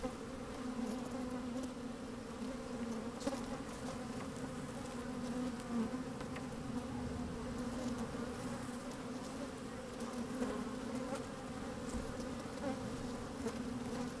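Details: Honey bees moving about inside an opened hive on a sunny day with a little wind, mic slid in among them: a sustained, rich droning buzz with a prominent low tone and faint scratchy rustles scattered across the recording.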